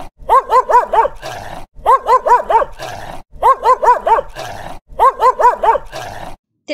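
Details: Angry dog barking in tight bursts of four loud, ringing barks, each burst followed by a brief pause, repeating about every one and a half seconds.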